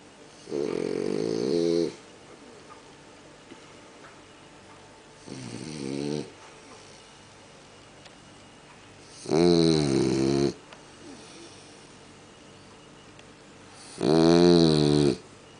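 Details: A French Bulldog sleeping in bed snores in loud, rattling bursts, each breath about a second long and repeated every few seconds.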